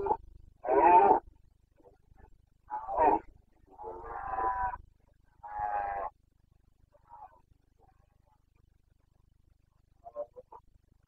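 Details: A stag's breeding-season boncănit in the Bucovina Carpathians, Romania, 29 September 2022: a string of rough, harmonic roars, some long and moaning, others short and gruff, fading into scattered faint grunts in a still setting.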